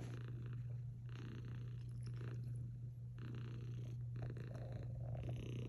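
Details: Cat purring while snuggling with a Belgian Malinois dog: a steady low rumbling purr throughout, with soft rhythmic breathing swells rising and falling about once a second.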